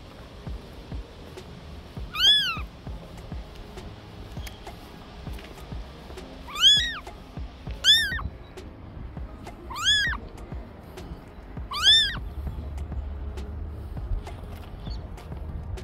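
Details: Orphaned stray kitten crying and asking for help: five short, high, arching meows spaced about two to four seconds apart, with faint music underneath.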